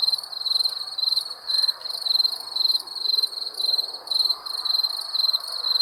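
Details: Night chorus of crickets: bright, high pulsed chirps arriving in rhythmic bursts about twice per second, over a quiet hiss of background sound.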